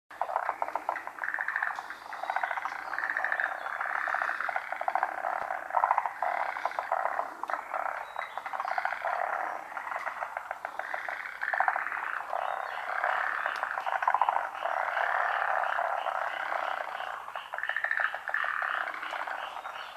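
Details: Large chorus of frogs calling from an unseen spot around a pond, species unknown; dense overlapping croaks and rapid pulsed trills form a continuous wall of sound with no pauses throughout.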